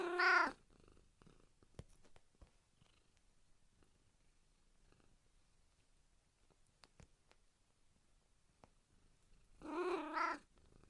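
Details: Cat giving two clear, tonal meows, one right at the opening and another near the end, separated by a long quiet stretch with faint clicks and rustling.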